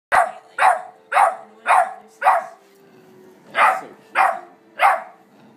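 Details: A German Shepherd and an American Staffordshire Terrier puppy, brothers, play together while the shepherd asserts dominance; sharp barks come in a run of five, about two per second, then a pause and three more.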